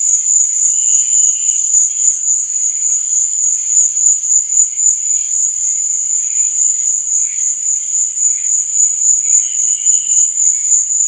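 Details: Night chorus of crickets, a continuous piercing high buzz pulsing rhythmically several times a second, with softer lower chirping notes drifting in and out.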